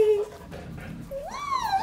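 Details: Dogs playing together indoors at a house, among them a baby pit bull, a Doberman and two Labradors; a high tonal whine at the start, then a rising-and-falling whimpering yelp near the end.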